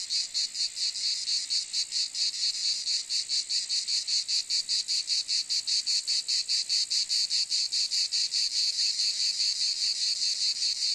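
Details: Loud high-pitched cicada buzzing, pulsing steadily at roughly two and a half throbs per second, with a few brief dips in intensity across eleven seconds; the insect sound is all that is heard.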